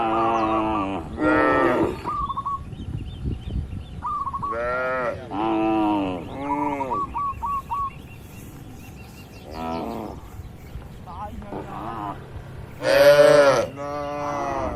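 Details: Cattle moo inside a farm barn: a series of long, resonant lows spaced a few seconds apart, one louder bellow near the end, with bird trills and twittering chirps filling the quieter gaps.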